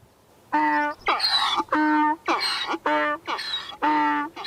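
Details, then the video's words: Donkey braying: loud alternating honking notes, a harsh rasping inhale then a tonal exhale, repeated about every half second for four seconds. "Donkey, Donkey Sounds, Donkey Sound Effect ( Donkey Sounds Effect, Donkey Call, Donkeys Voice )"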